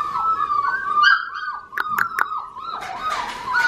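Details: High whining cries from Australian Shepherd puppies, wavering and sliding, broken by a few sharp clicks and knocks in the middle.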